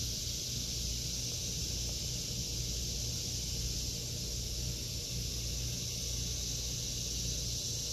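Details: Summer cicada chorus in a vegetable garden in August 2023, a constant shrill hiss with no pauses, layered over a dull low-pitched background rumble.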